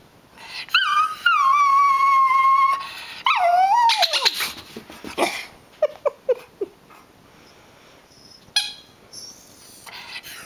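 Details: A Rat Terrier, unsettled by a squeaker toy being squeezed during play, gives long, high whines and quick yips, ending with a single sharp bark.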